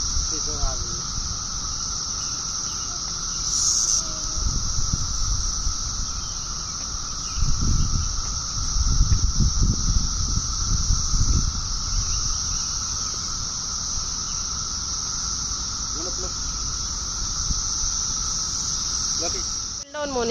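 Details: Cicada calling from a pear tree: a continuous, high, steady shrill drone that runs unbroken throughout, with a fainter lower hum beneath and bursts of low rustling and handling noise.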